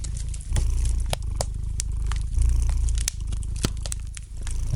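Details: Domestic cat purring gently beside a lightly crackling fireplace indoors; low, steady rumbling purr swelling in breath-paced phases about a second long, with sharp fire crackles and pops scattered throughout.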